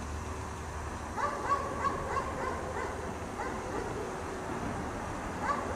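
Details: Chained outside all day in cold snowy weather, a dog gives a rapid run of about five distant barks, then falls quiet before another single bark, with a steady low background drone throughout.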